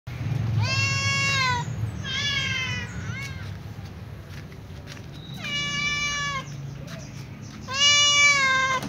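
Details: Calico cat meowing as it runs to its usual eating place alongside other cats; four drawn-out, harmonic-rich meows, some slightly falling, separated by short pauses over a low background hum.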